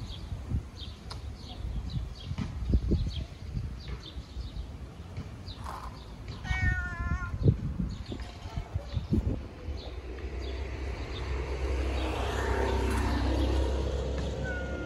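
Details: Ginger fat cat meowing loudly because it wants to eat; one short harmonic meow near the middle, amid steady low rumbling background noise and scattered clicks.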